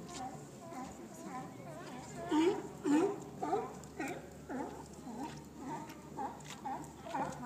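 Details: A group of San Francisco sea lions giving rough, honking barks in a loose series about every half second, one nearer animal louder in the middle, others answering more softly over a low background hum.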